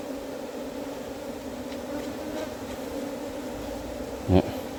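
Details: Honey bees from a wild colony just caught and kept in a hive box give a continuous even drone, with one brief knock near the end.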